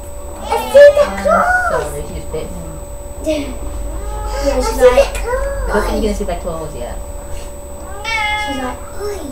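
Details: Sasha, a pet cat in labour with a litter of three kittens, May 14th, 2011: several loud, bending meows at uneven intervals, overlapping with close human speech in a small room.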